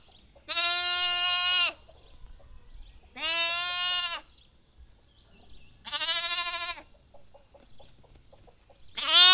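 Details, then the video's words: Lamb bleating four times, each a clear, nasal, tremulous baa about a second long. The bleats are separated by pauses of one to two seconds, against quiet background. "Lamb Baa"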